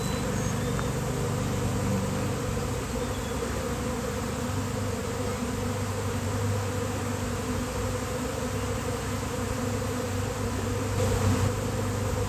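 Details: Massed wingbeat hum of a swarming honeybee colony gathering on a basketball hoop on a pleasant day; low, steady droning that holds level, swelling slightly toward the close.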